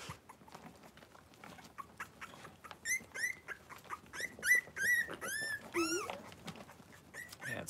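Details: Five Blenheim Cavalier King Charles Spaniel puppies, born at New Year, with their mother Paris in a home puppy pen: quiet shuffling, then a burst of repeated high, arched whining squeals, one dropping into a lower moan, before fading.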